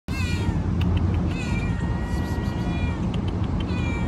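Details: Orange cat meowing very loudly: long, drawn-out, tonal meows that run almost without a break, wavering slightly in pitch, over a steady low rumble.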